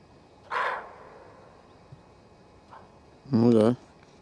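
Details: Female roe deer in a forest, alarmed and warning of danger: one short, harsh, hoarse bark, then quiet, followed by a louder voiced human utterance near the end.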